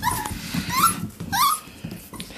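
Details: Six-week-old Pomsky (Pomeranian/Husky cross) puppies from one litter, born on Halloween and energetic indoors, whimper in thin whines that rise and bend, three or four in quick succession, with soft scuffling and rustling underneath.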